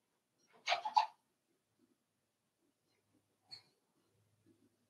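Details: Five-week-old Cavalier King Charles Spaniel puppies in an indoor puppy pen, with a short burst of two quick rough noisy yaps near the start, then a brief sharp squeak and soft faint grunts in a quiet room.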